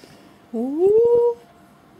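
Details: French Bulldog puppy, three weeks old, indoors and wanting to be picked up: a single drawn-out whine that slides upward and then holds a steady tone for under a second, with a faint human voice nearby.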